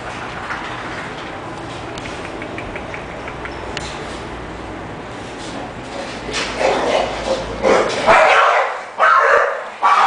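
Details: English bulldog Dido: six quiet seconds of low steady hum, then a run of loud, harsh, broadband bark-like bursts packed into the last four seconds, several in quick succession.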